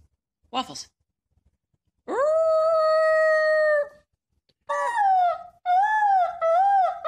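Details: Puppy howling indoors: a sharp click, then a long steady tone held about two seconds, followed by several shorter wavering, warbling howls with rich overtones.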